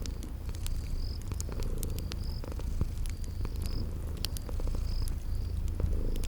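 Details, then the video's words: Low, even purr from sleeping kitties near a crackling fireplace, set in spring garden ambience; faint cricket chirps come in short high bursts while fire pops and snaps scatter across the rumble. "Relax with Cute Sleeping Purring Kitties"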